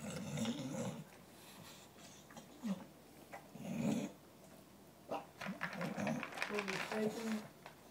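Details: Indoors at dinnertime, Gavin the dog guards his food from the other dogs with brief, throaty growls scattered through the clip, overlapping a person talking and the noises of eating.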